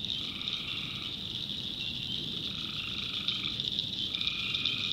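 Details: Night chorus of tree frogs from a swamp in the North Carolina backwoods, an unbroken shrill trilling overlaid with drawn-out lower nasal notes of roughly a second, three of them spread through the stretch.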